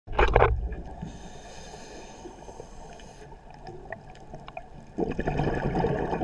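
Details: A pistol shrimp biting a brass clip gives a loud, sharp cracking snap, followed by fainter clicks over a bubbly underwater hiss.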